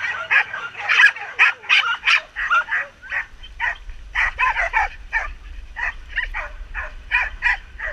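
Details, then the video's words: Samoyeds from two sled teams finishing a 12 km training run in September 2014; a steady chorus of excited high yips and short barks, several dogs calling over one another in rapid uneven bursts. "Trainings-end afther 12 KM run with Samoyeds"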